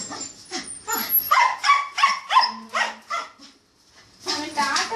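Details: Babloo, a pet dog, gives a run of short sharp barks, about one every half second, indoors, with people talking around it and a brief pause before chatter resumes.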